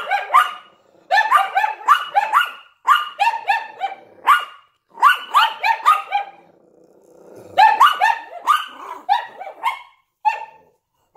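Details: Yorkshire Terrier barking at a window alongside a Lhasa Apso: bursts of sharp, high, repeated yaps in quick runs of four to six, with short pauses between volleys and a brief lower growl near the middle.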